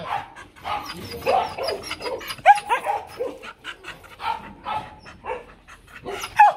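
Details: A female Mong Coc dog, the Vietnamese bobtail breed, at a kennel in Vietnam, giving a steady stream of short, choppy barks and yelps. The barking asks for something and is not a threat.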